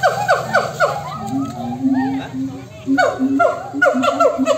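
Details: Monkeys answering one another with bursts of loud, downward-sweeping harmonic cries in quick runs, a pause with lower droning tones in the middle, then another rapid series of falling calls.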